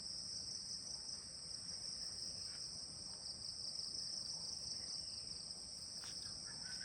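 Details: Crickets calling all around at ten in the morning at a guest house in Kulaura, Moulvibazar, Bangladesh: a steady, unbroken high-pitched trill holding constant throughout, with faint rural background.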